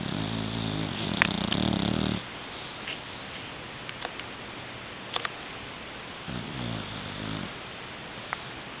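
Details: Cooper, a nine-month-old Boxer puppy, snores while asleep and drooling on a pillow indoors; two loud rasping snore bursts, one at the start and another about four seconds later, with quiet breathing between.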